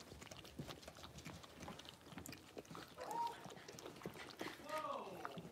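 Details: Five six-week-old blenheim Cavalier King Charles Spaniel puppies in an indoor home puppy pen. Two brief, arching, harmonic whines rise and fall amid scrabbling paws and pattering, with a human voice talking in the background.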